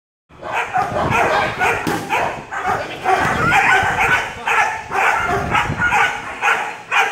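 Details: A 17-week-old bi-black German Shepherd puppy during early control work training, barking in rapid, fairly steady bursts of about two barks per second, sharp and mid-pitched, with faint background rustling.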